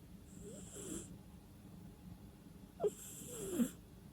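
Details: Slumbering cat gives two hissy snoring breaths, the second ending in a brief squeaky nasal whistle that slides downward, separated by a stretch of quiet; no background music.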